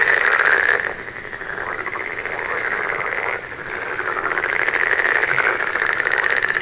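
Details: Continuous frog chorus of fast buzzy trills, a strong rattling call at the start, quieter overlapping calling in the middle, then the chorus building again with bright pulsed calls toward the end.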